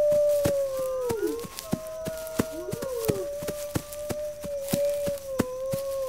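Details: Wolf howls, pack signals to prepare defenses: a long steady tone carries through, crossed by short downward-swooping voices, with sharp regular clicking behind.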